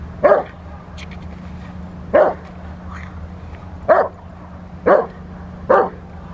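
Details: Rottweiler at protection work on the post, recorded March 27, 2021: five loud single barks spaced one to two seconds apart, with a steady low hum underneath.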